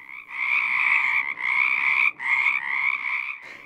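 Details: Pacific chorus frogs (Pacific tree frogs) in Oregon's Willamette Valley, where choruses of hundreds or thousands are heard in late winter and spring, often from sunset, croak together in dense, raspy two-part notes forming a continuous chorus.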